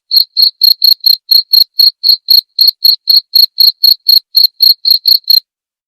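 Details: High, clean cricket chirps used to train songbirds and for therapy, about twenty evenly spaced pulses in five seconds, each a short bright tick, ending in silence; nothing else audible.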